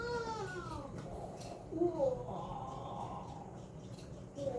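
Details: Affectionate pet cat meowing while being brushed by a new owner, a playful session between grooming and wrestling; harmonic meows bending up and down, the first drawn out, later ones short, with rustling and soft handling noise.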